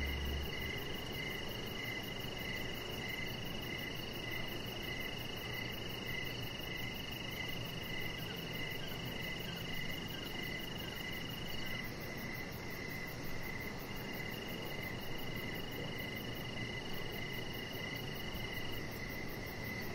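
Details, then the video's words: Evening chorus of crickets heard from a backyard deck where a chihuahua puppy lies under decoration lights; regular pulsed chirps over a constant high-pitched trill and a soft low hum. "Cricket Sounds"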